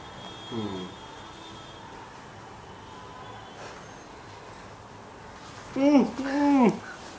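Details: Juno, a beagle puppy, welcoming her owner home after work indoors: two loud, high, wavering whines with harmonics near the end, preceded by a brief faint whimper, over a quiet room hum.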